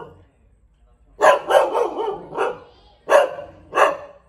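A Thai Bangkaew dog gives a quick run of sharp, mid-pitched barks, then single barks spaced apart.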